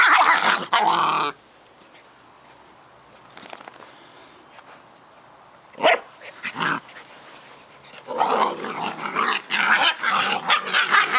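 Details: Two Scottish Terrier puppies, Bonnie and Basil, playing together: bursts of rough growling and yapping at the start, a short sharp yelp near six seconds, then a longer run of scrappy play growls and barks to the end.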